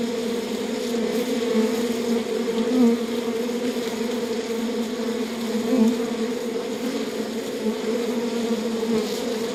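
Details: Steady humming of honey bees inside a beehive, a thick two-toned drone that stays level, rising in small surges roughly every three seconds.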